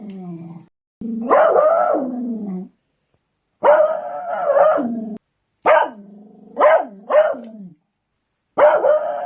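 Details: Barking Beagles giving long baying howls that slide down in pitch, then a run of three short sharp barks, bouts spaced a couple of seconds apart in a quiet setting.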